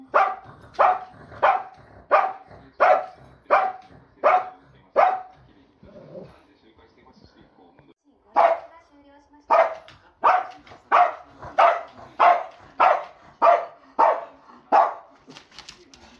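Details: Chiro, a big pet Shih Tzu, barks in two quick runs of sharp, bright woofs about two-thirds of a second apart, with a short quiet gap near the middle before the barking resumes even faster.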